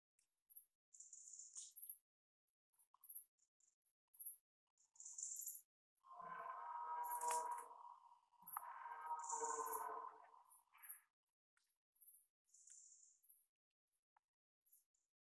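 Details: Red deer (Cervus elaphus), rutting roar: rutting call of a stag during the breeding season.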